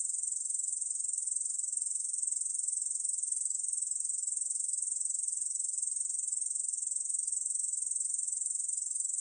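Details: Steady, sizzling high-pitched trill of a Korean bush cricket, dense fast pulses held without a break at an even volume, background otherwise silent.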